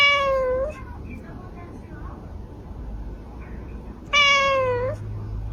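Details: A pet cat meows twice, a drawn-out falling cry, then a second, similar meow after a long pause, over a steady low room hum and faint background talk.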